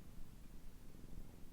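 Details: Indoor domestic cat lying on her bed, recorded in Meanjin in June 2024, giving a low, even purr; gentle rhythmic rumbling with no other clear sounds in a quiet room.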